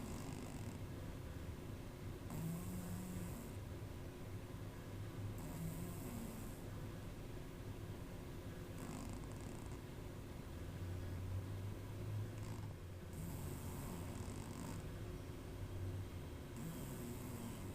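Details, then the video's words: Saarabi, a pet cat, snoring while asleep indoors: low rumbling breaths with soft hissing exhalations returning every three to four seconds over a steady faint hum. "saarabi snoring"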